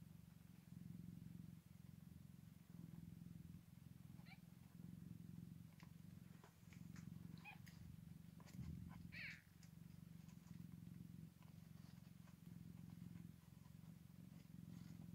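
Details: Scottish Fold cat with newborn kittens on their first day: steady low rhythmic purring throughout, with faint thin squeaks now and then.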